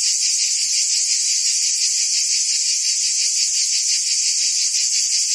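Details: High, continuous cicada buzzing from trees in a forest, a dense shimmering drone with slower gentle swells in intensity and no other voices or noises.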